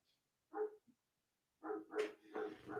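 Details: A neighbour's German Shepherd barking in the background at night, as it does around the same time every evening. A single short bark is followed by a pause, then a quick run of three or four rough barks.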